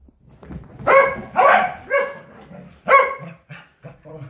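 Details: Barking corgi during a game of fetch: several loud, harmonic barks with a ringing tone, followed by shorter, quieter yips toward the end, against faint low background noise.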